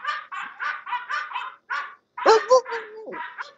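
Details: Home-raised English Bulldogs at the Old Red English Bulldogs Kennel give a rapid run of seven or so rough, even barks, then a pause, then more barking mixed with a person talking and a tonal voiced sound.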